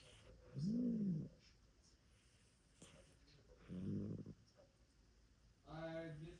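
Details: Marquiza, a sleeping cat, snoring during a cozy nap indoors: three low, rough, drawn-out breaths spaced about two to three seconds apart, the last one buzzier and more nasal.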